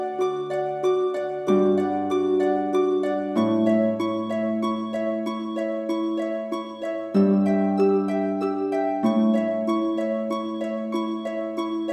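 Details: Gentle plucked harp music with sustained bass notes plays throughout, with no animal sounds. Chords shift every couple of seconds in a slow, lullaby-like pattern.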